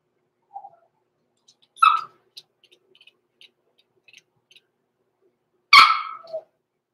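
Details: Overnight in the Red Barn Cavaliers puppy pen, a six-week-old blenheim Cavalier King Charles Spaniel puppy from a small litter gives two sharp, bright yelps about four seconds apart. Faint ticking and small rustles fill the quiet gaps between them.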